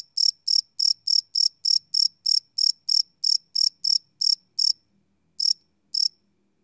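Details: Crickets chirping at night, recorded live on a Sony PCM D100: a run of regular piercing high chirps that slows and breaks off near five seconds, then two isolated chirps, with faint low background hum.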